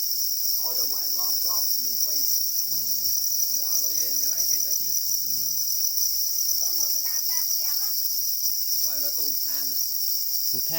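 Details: Para crickets, known as black crickets, sounding off angrily over their eggs with a continuous high metallic trill, while voices talk in bursts with brief quiet gaps.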